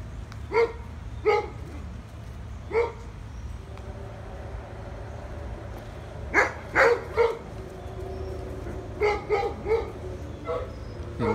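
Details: American Bully dog visiting Memphis, barking in short sharp bursts, about ten barks in irregular clusters with pauses between, over a low steady background hum.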